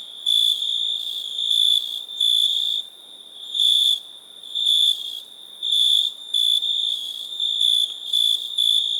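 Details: Cricket producing a piercing high-pitched continuous trill, punctuated by louder pulsing bursts around once a second, against a faint insect chorus.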